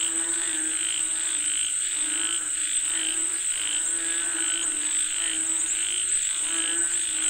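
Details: Frogs calling for rain: a steady chorus of nasal, harmonic croaks pulsing about every 0.7 seconds, overlapping one another, over a constant thin high-pitched whine.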